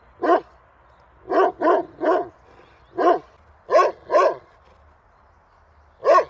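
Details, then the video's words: Dog barking in short, sharp bursts: a single bark, then quick pairs and a triple, loud and clear over a quiet background, with about eight barks spread across six seconds. "Hundebellen, Bellender hund sound, Dog barking"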